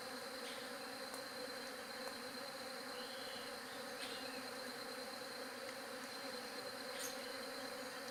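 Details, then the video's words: Buzzing of bees forming an unbroken, even drone of stacked tones, with faint short chirps and ticks now and then over the hum. "SOM DE ABELHA"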